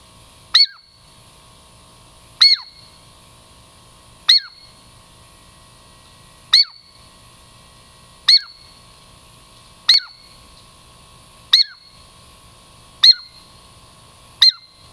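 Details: Repeated calls from Girl Squirrel, a Douglas squirrel coming in for a treat in the Puget Sound lowlands: crisp high-pitched chirps with a falling slur, given steadily every one and a half to two seconds, nine in all.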